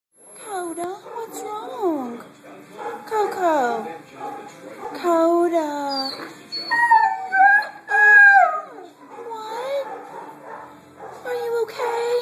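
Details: Male Siberian Husky with a twisted ankle, hurt after digging a hole, vocalising to his owner about the sore leg: a run of wavering, yodelling howls and moans that rise and fall in pitch, with a person's voice in between.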